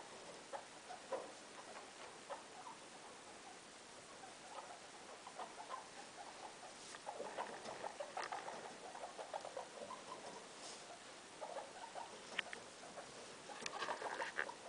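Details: Indoors, guinea pig Loeki and her three young: soft rustling and patter of movement with scattered brief squeaks, busiest in the second half, plus a few sharp clicks against quiet room hiss.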